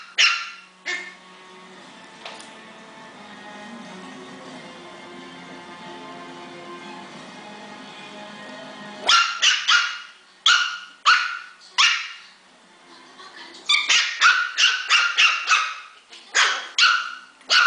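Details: Puppies fighting, with a long stretch of quiet background and music before a rapid run of high, sharp yaps and barks in uneven bursts.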